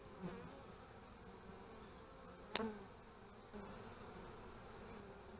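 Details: Honey bees heard at beekeeping hives on 25 March 2015 make a soft, low hum. Single bees whine briefly past the microphone, and there is a sharp click midway.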